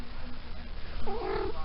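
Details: A talkative female Maine Coon cat, recently in season, answers her owner indoors with a clear, brief tonal meow that rises then dips, ending after about half a second, preceded by soft low purring and quiet room sound.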